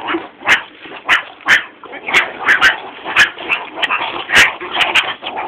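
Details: Captive meerkats at Moulton College are fed mealworms in tubes. They give rapid, harsh barks and raspy growls in overlapping bursts while people talk nearby.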